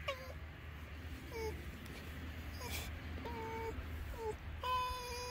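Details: Finnegan the fox chatting while being scratched: short, tonal whines rich in harmonics, several dropping sharply in pitch at their ends, about six calls in five seconds over a steady low hum.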